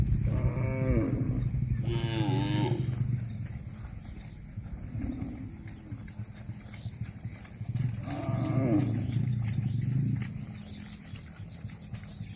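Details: Grazing cattle eating grass; several moos, two in quick succession at the start, a softer one mid-way and another later, each harmonic and slightly falling, with a low hum underneath.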